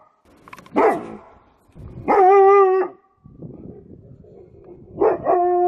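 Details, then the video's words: Dog giving one rough bark, then a sustained, level, whining note lasting under a second, and later a shorter bark-whine, against a low rumbling background. "Los mejores LADRIDOS DE PERROS 🐶 Perros LADRANDO"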